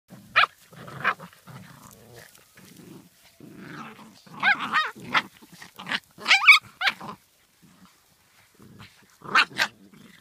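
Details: Welsh Springer Spaniel giving a few sharp, high barks or yips spread across the recording, with low rumbling growls and grumbles filling the gaps between them and short silent pauses.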